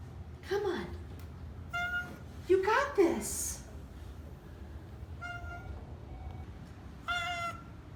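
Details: Vocal Oriental Shorthair cats on moving day in a new house, one of four, honking. Two sliding, wavering calls stand out among shorter steady tonal cries, while a person keeps urging them on with quiet background music.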